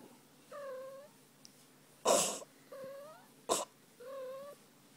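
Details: While her tummy is rubbed indoors, the female pet cat Fuzzy gives three soft, slightly falling mews, one per second or so. Two loud broadband thumps from handling fall between the calls.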